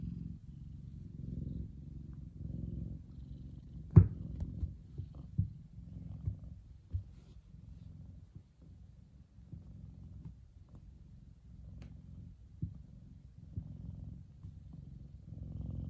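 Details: Kumba, a big F2 Savannah cat, purrs contentedly while enjoying the sun; low continuous rumble with a few faint clicks and one sharp knock near four seconds.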